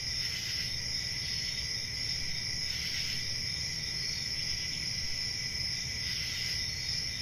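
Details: Crickets calling on a summer night in a forest: a steady, unbroken high-pitched trill with a second fainter band below it, swelling slightly every few seconds over a low background rumble.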